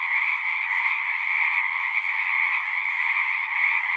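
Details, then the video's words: Chorus of singing frogs, a natural recording: a dense, unbroken wall of many overlapping trilling voices with two steady pitch bands, one high and one lower, holding an even level throughout with no other sounds. "One hour of singing frogs."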